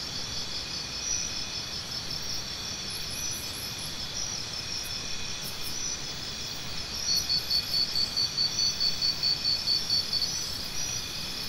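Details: Crickets sound a steady high-pitched trill with a shimmering layered chorus. In the last few seconds a louder series of short, evenly spaced chirps stands out, repeating about twice a second.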